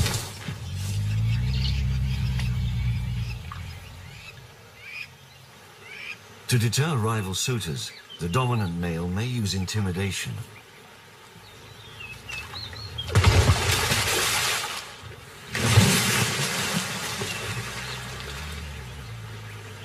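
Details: Lions in May, the wet mating season, males fighting over the privilege of courting a waiting female: bursts of harsh, wavering growls and snarls at midclip, then loud rasping roar-like blasts, with a low rumbling start and quieter gaps between.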